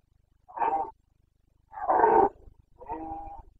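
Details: Carpathian red deer stag roaring in the Bucovina mountains during the September 2022 breeding season; three hoarse, harmonic bellows, each under a second long, separated by short pauses.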